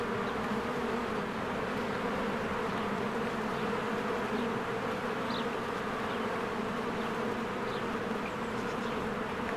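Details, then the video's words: Spring honeybees streaming in and out of their hive: a constant, even buzzing hum with stacked low tones, plus a few soft distant bird chirps. "1 Hour of a Beehive ASMR"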